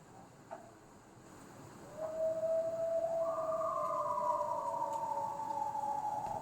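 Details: Coyotes singing together one night; long, smooth howls rise and hold steadily, one voice joining above another and sliding slightly downward, over a quiet night background.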